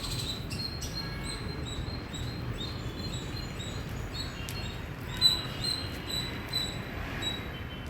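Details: Loud chirping from an Indian squirrel, sharp high chips repeated in quick series, growing stronger and more clipped toward the end, with a few sharp ticks and a soft low hum of background noise throughout.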